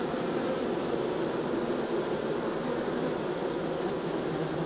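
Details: Honey bees being transferred from nuc to hive hum loudly and evenly, a dense mass of wingbeats with no pauses.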